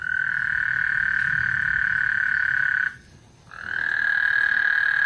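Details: Lake Houston frogs calling ahead of a thunderstorm, a continuous high buzzing trill that breaks off near three seconds, leaves a half-second gap, then resumes at the same steady pitch over a low background rumble.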